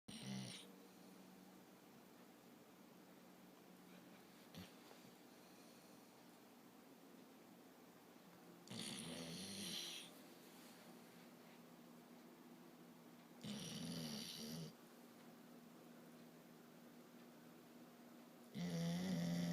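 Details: A pup snoring while asleep indoors: slow, breathy rasping snores in three widely spaced bursts, each one to two seconds long, over a steady low hum with quiet breathing between.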